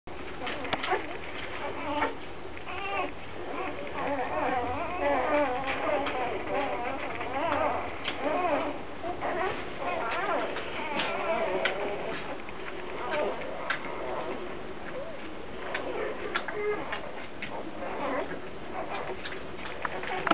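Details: Grand Basset Griffon Vendéen puppies from the Viersenhoeve kennel, several pups whining and squealing together in dense overlapping bursts of high, wavering cries, with a small room's ambience.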